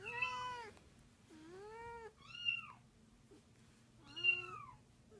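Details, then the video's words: Angry 13-year-old domestic cat reacting to other cats meowing; four drawn-out harmonic meows, some rising then falling, spaced about a second apart, over a faint low indoor hum. "Cat reacting to cats meowing"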